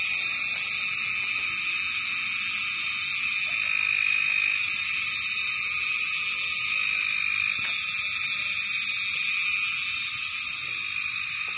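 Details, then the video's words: Cicada, locally called kagang, calling around 6 pm in summer from high trees; a loud, continuous, shrill buzzing drone with a steady fast pulsing texture, filling the air without pause. "Huni ng kagang"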